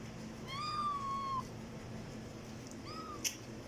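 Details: Domestic cat meowing loudly indoors: a long level meow lasting nearly a second, then after a pause a shorter, higher meow, with a faint click at the end and low room hum underneath.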